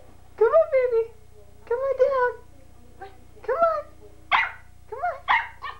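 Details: Major, a Pembroke Welsh Corgi puppy, learning to use the stairs indoors, gives a series of short high whining yips with falling pitch, several bursts spaced about a second apart, while a person coaxes him on.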